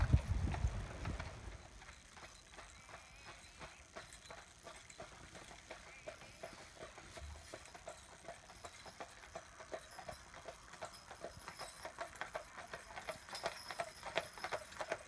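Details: Two Clydesdales pulling a carriage in harness, driven by their owner visiting from Scotland; fainter, crisper hoof clicks patter about three times a second after a brief low rumble at the start.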